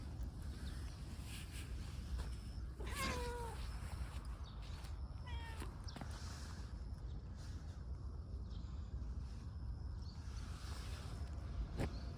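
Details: Affectionate stray tortoiseshell cat in a park, rubbing against someone, gives two short, rising-then-falling meows a few seconds apart, with steady low rumbling outdoor noise and light rustling throughout.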